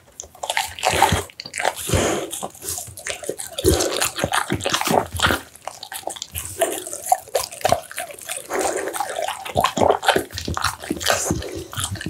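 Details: Messy feeding by an American Bully on steamed pumpkin, minced duck, tofu and dried mixed vegetables; sharp wet clicks and licking slurps tumble in rapid irregular runs, broken by a few short quiet gaps.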